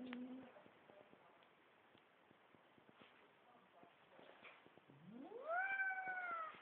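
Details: Domestic cat in a funny pet compilation: a brief flat tonal note at the start, a quiet stretch, then one long meow sweeping steeply upward and holding a strong, slowly falling tone to the end.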